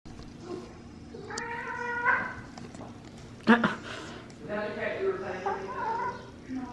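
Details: A young, energetic male cat picking on another cat indoors: drawn-out, wavering complaining meows and yowls, one rising then falling, with a sharp thump midway and a person speaking softly.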